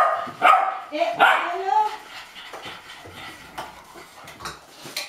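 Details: Golden Retriever puppies, 8.5 weeks old, hopping and barking with impatience for their food indoors in Haute-Savoie, France, in January 2013; a burst of high, tonal yips opens, then softer clatter and a human voice follow.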